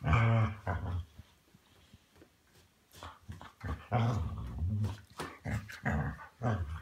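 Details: A 6-year-old Weimaraner gives deep, throaty growls in rough bursts of about a second, some rising into grumbling whines, with quiet gaps between them. It plays a bedtime game with a 1-year-old Vizsla in a small, enclosed room.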